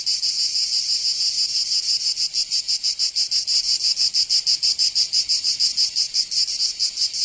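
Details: Cicadas of Provence, southern France, singing in summer: a piercing high-pitched buzz, first smoother, then breaking into distinct rapid throbs around three per second, slightly uneven in rhythm.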